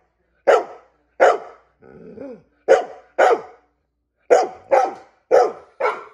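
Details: A female dog gives sharp, repeated barks in quick pairs, demanding a treat.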